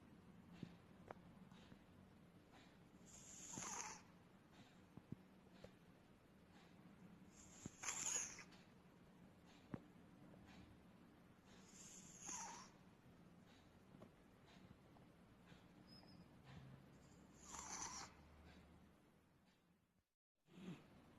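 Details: A 14-year-old male British Shorthair cat sleeping with his mouth open snores in slow, even breaths, each a soft, hissing rasp about every four to five seconds over a quiet, low hum.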